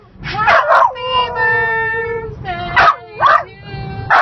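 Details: Dog howling along as people sing the happy birthday song: sustained, wavering tonal howls held for over a second, broken by sharper vocal bursts.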